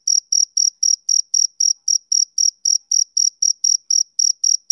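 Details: Male cricket chirping on a summer evening: a rhythmic series of short, high, pure pulses, about three to four each second, steady and unbroken, with no other sounds.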